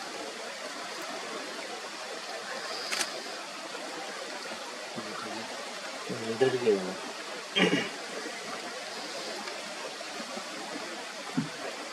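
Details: Steady rushing of a stream fills the clip, broken only by a brief murmured human voice and a couple of sharp clicks.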